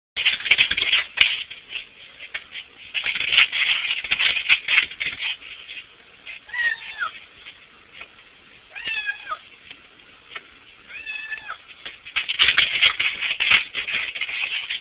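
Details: Domestic cat outside a window, trying to squeeze through and get into the house, meowing repeatedly; bursts of harmonic meows with rising-falling bends, interspersed with scratchy rustling and tapping as it pushes at the window.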